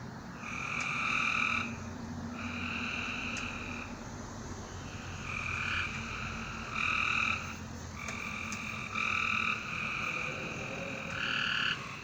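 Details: Night-time frog chorus: repeated buzzing trills of roughly a second, several overlapping callers answering one another almost without pause, with a faint low hum underneath.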